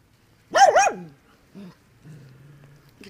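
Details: Andy, a digging Dachshund, lets out one loud wavering bark with a yodel-like dip, followed by a soft grunt and low background murmur.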